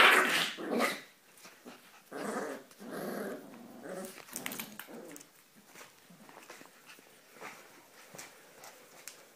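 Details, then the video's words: Ee-red Border Collie, a rouge australien, growling while playing with one-month-old puppies indoors; rough, noisy growls in bursts of about a second, some sharper bark-like onsets, loudest at the start, then fading into softer grumbles and shuffling. "Border collie ee-red (rouge australien) playing with puppies"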